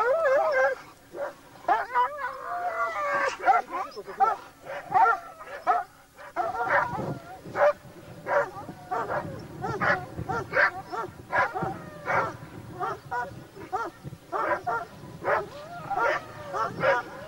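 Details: Laikas and a labrador hunting wild boar keep up dense, overlapping barking, with yelping, whining tones early on, several dogs sounding together in an irregular stream amid rustling field noise.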